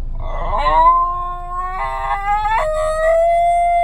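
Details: Basenji singing in a car because it doesn't want to go home, a sustained, rising, yodel-like howl that steps up in pitch partway through and holds its final note, with a low car hum beneath.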